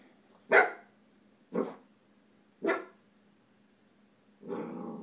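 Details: Puppy barking while staring down a baby indoors: three sharp, short barks about one second apart, followed by a longer, lower growling bark, over a faint steady hum.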